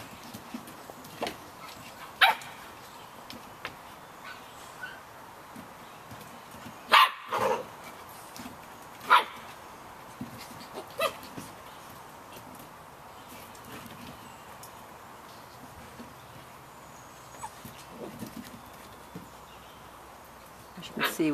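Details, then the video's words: Samoyed puppies, 51 days old, yapping in the rain: scattered sharp high yips spaced several seconds apart, with a steady hiss of rain underneath throughout. "Samoyed Puppies - Yapping in the Rain"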